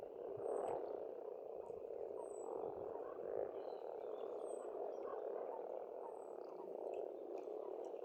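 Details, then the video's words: Many frogs croaking together at an Estonian pond in spring, a steady low purring mass of sound, overlaid by brief sharp high-pitched bird notes at intervals. "Расслабляющее пение птиц и лягушек"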